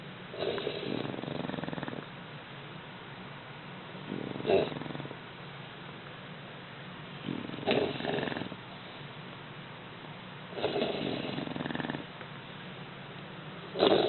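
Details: Two napping English Bulldog puppies snore steadily: raspy, breathy snorts return roughly every three seconds with soft breathing between them, and nothing else is heard.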